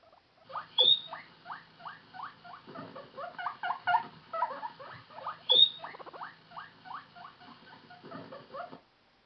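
A guinea pig gives a rapid series of short, squeaky chirps with a couple of sharp whistles, calling when lonely.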